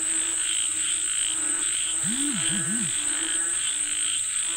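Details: Frogs calling for rain: rhythmic overlapping croaks pulse in a thick chorus, with a few low, looping swooping notes midway and a constant shrill whine overhead.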